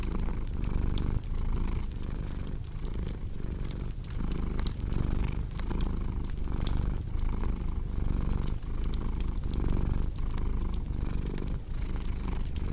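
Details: Steady rumbling purr of a domestic cat, breath-driven pulses repeating close to once per second, accompanied by dense crackling and snapping from a fireplace.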